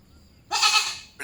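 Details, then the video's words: Goat bleating: one loud, harsh, wavering bleat lasting about half a second, then the start of a second bleat at the end, in an otherwise quiet setting. "goat voice"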